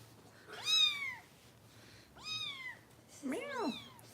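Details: Harper, a foster kitten being bottle-fed by rescue volunteers in Los Angeles, gives three strong meows, each rising quickly then sliding down, the last one more wavering, over a low steady hum.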